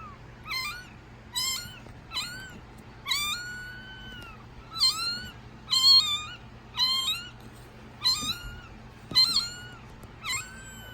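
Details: Week-old kitten mewing before its milk feed, recorded in 2019: a series of high, thin, bending meows about once a second, each with a rising-falling contour, irregularly spaced, in a quiet indoor room.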